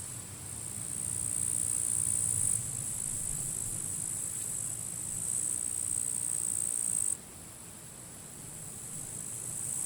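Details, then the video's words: Late-July forest edge on a sunny, gusty day, grasshoppers battling in dry grass; a sustained thin, crackling high hiss with sudden jumps in loudness, one sharp drop near the seventh second, and low rushing wind throughout. "Wind noise and grasshoppers crackling"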